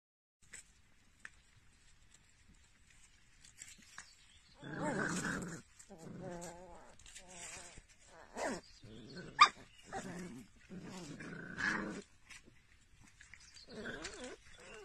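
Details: Little Jack Russell Terrier puppies: soft, rough growling bursts with wavering pitch begin after about four and a half seconds, mixed with short yips and sharp clicks, separated by quiet gaps.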